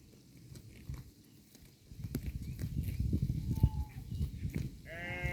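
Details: Cows of a grazing herd munch grass with low, dense crunching and tearing. A faint thin tone sounds midway, and a short high harmonic call from another animal comes near the end.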